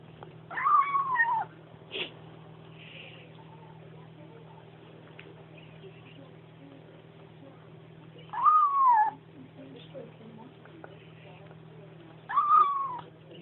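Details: A Bengal kitten makes three short, high, squeaky mews that slide downward while eating, spaced several seconds apart over a low, steady hum; owner suggests it comes from fighting littermates while drinking its mother's milk.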